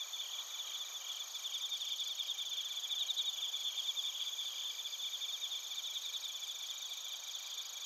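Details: Bell crickets and other crickets chirping in Narita, Chiba, Japan, captured with a TASCAM Portacapture X8: a dense, shimmering high-pitched chorus of rapid pulsed trills in several stacked bands, steady throughout with no other sounds.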